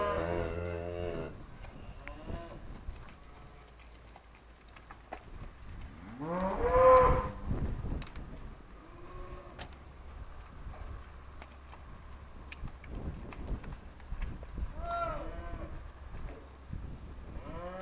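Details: Trained Charolais cows recorded in 2017 as their owner calls them over in Polish; one loud, drawn-out moo swells mid-clip, with fainter lowing and the owner's coaxing voice before and after.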